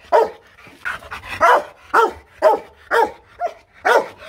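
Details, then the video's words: Aggressive, fierce Rottweiler from a kennel in Hanoi, Vietnam, barking hard: eight loud, deep, harsh barks at a steady pace of about two per second, with little else heard. "Tiếng chó sủa kinh hoàng| DOGS BARKING"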